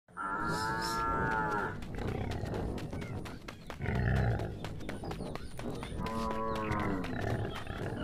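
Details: Old bull at a market, bathing, giving long harmonic moos near the start and again around six seconds, with a shorter call in between over steady background crowd and engine noise.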